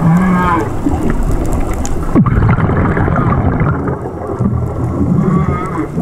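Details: Whale song heard underwater during a dive: a low steady hum, then a brief falling sweep, over a dense rumbling wash of water noise with faint higher tonal traces.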